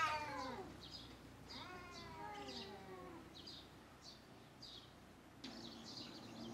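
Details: Cats fighting while defending their territory: drawn-out, wavering howls slide downward in pitch and repeat in long yowls. Short high bird chirps sound throughout the background.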